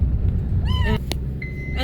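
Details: A rescued kitten, found crying on a street and now in a car, gives a single high, wavering meow over the steady low rumble of the car engine.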